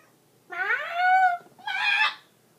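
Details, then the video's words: Domestic cat singing along with its owner indoors, described as nervous: two drawn-out, harmonically rich meow-like notes, the first sliding upward and held, the second shorter and brighter, in a quiet small room. "the singing cat"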